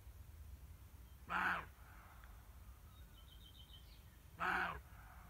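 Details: Roe deer barking: two short, harsh, noisy barks about three seconds apart, each lasting roughly a third of a second, with a faint high trilling bird call between them over a quiet background.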